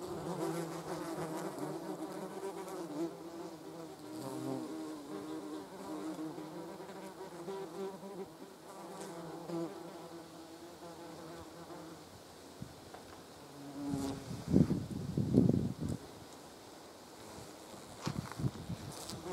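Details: German wasps, called yellow jackets, on a jar of jam. A soft, continuous buzzing hum with several overtone layers for about twelve seconds, then louder, rougher buzzing surges as wasps take off near the jar.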